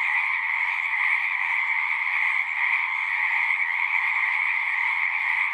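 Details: Brief stretch of a frog chorus at a pasture pond, recorded with a Zoom 6. Countless callers trill together in a steady, high, pulsing hum that never breaks, with faint low rumble beneath.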